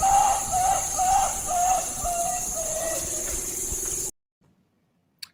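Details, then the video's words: In the Amazon rainforest of Ecuador, titi monkeys chorus in the early morning with a run of clear, slightly falling hoots about twice a second, then a steady lower tone, over insect drone and birds. "that was a titi monkey. And so this is an early morning call. You can hear titi monkeys chorusing in the morning."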